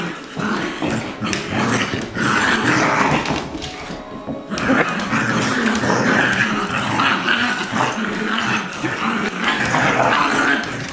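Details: Colby, an adopted two-year-old Lab mutt, tugs against Jack, a six-week-old Golden Retriever puppy. The pair make dense, gravelly growls that break off briefly once, then resume with quick yips on top.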